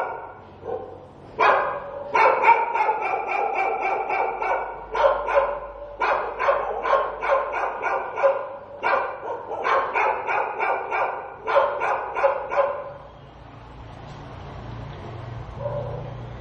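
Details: Stray dog barking in the daytime: rapid runs of loud, harmonic barks in bursts of several at a time for about twelve seconds, then fading into quieter background noise with a low hum.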